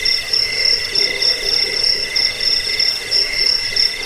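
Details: A jangkik, or cricket, chorus used to repel rats and as a sleep aid: piercing, rapidly pulsed trills in high registers, grouped into bursts about three per second, overlapping callers, no other sounds.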